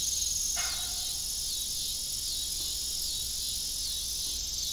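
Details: A dense, shrill pulsing of evening crickets on an abandoned family farm with a broken windmill, unbroken from start to finish, one soft clunk early on.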